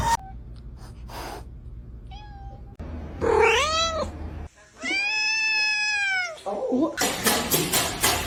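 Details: Domestic cat meowing indoors: a short meow, then two long drawn-out harmonic meows that rise and fall, the second held about a second and a half, with a person's voice and bursts of noise around them.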